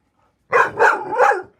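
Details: Domestic dog talking during play, three linked bark-like yowls with a wavering, modulated pitch across about one second, the third sliding downward, in a quiet indoor room.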